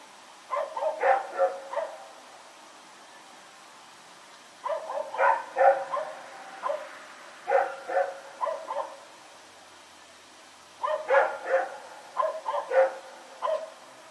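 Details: Rex the dog barking in the night as he runs around, recorded on 21 September 2018: four bouts of rapid, rhythmic barks, each bout five or six barks, with quiet stretches between.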